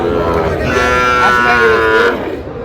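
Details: Sahiwal bull calves at a cattle market in Tangail, Bangladesh, on 20 August: a sustained, nasal moo over a dense background of crowd noise and speech.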